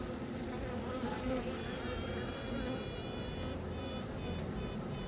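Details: Newly emerged honey bee queen piping to announce herself: a steady tooting tone with bright overtones holds for about two seconds, then breaks into short repeated pulses, all over the low, constant hum of the hive.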